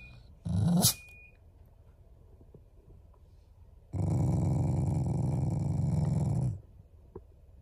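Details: Loving family Shiba Inu growling without anger: a brief sharp vocal burst, a long quiet gap, then a sustained low growl of about two and a half seconds, rough and buzzing with some higher overtones.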